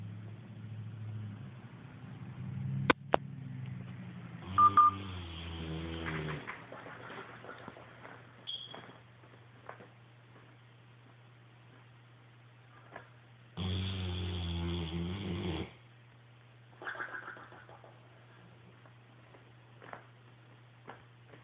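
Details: Thunder, a sleeping French Mastiff and Bullmastiff mix, snores in long, rough, low rumbling breaths, the clearest near five and fourteen seconds, with a fainter one after, over a steady low electrical hum and quiet room sounds.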